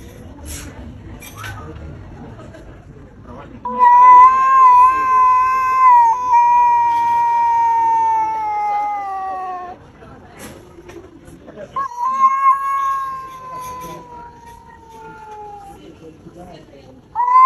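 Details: Cat that wants to fight but only argues: after quiet rustling, two long tonal howls, each drifting gently downward over about four to six seconds, then a third yowl beginning at the close.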